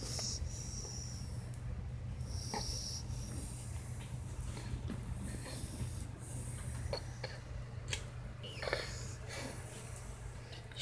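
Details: Sleeping female puppy snoring, with a constant low droning hum under soft, rough breathy snorts that recur irregularly, plus a few sharp clicks toward the end.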